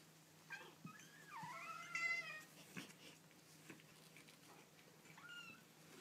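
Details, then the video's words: Baby kittens calling indoors: one long drawn-out meow that climbs and bends downward, bracketed by a short squeak at the start and a brief high mew near the end, with scattered light clicks and a faint low hum beneath. "Baby Kittens Making Cute Noises"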